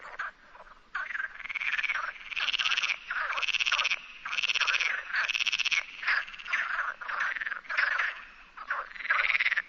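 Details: Perez's frog in the Sierra de Barbanza near Noia, Galicia, Spain: bursts of raspy, rattling croaks about half a second to a second long, repeated in quick succession with short gaps.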